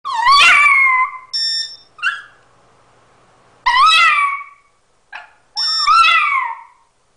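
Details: Puppy singing with drawn-out harmonic howls that rise then sag, three long ones separated by short yelps and squeaky whimpers, with quiet gaps between phrases.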